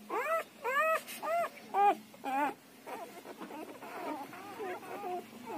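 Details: Siberian Husky puppy in its first ten days giving a run of five loud arched squeals about half a second apart, then softer, quicker overlapping whimpers from the litter over background rustling.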